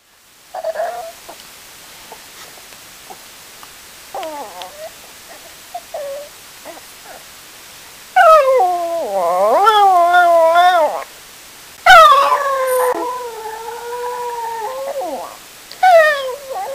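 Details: Pet dog left at home when its owner goes to the store, starting with short scattered whimpering calls, then long wavering howls with rich overtones from about halfway, rising and falling in pitch, several howls separated by brief pauses.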